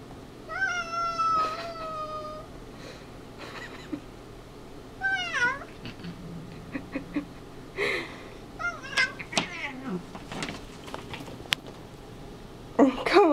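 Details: Two domestic cats play-fighting indoors, one likened to a little piggy; a long steady meow, then repeated short rising-falling squealing meows and chirps in irregular bursts, with a woman's voice scolding in between.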